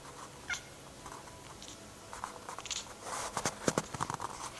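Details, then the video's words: Cat making odd noises while chasing a laser, filmed on an Android phone: a brief high chirp near the start, quiet stretch, then a quick run of clicky, chattering bursts over the last second and a half. "Cats weird noises, for lasers!"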